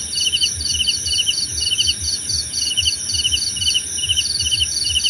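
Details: Short stretch of cricket song for relaxation: crisp high pulsed chirps in quick regular succession over an unbroken shrill insect drone and soft low background.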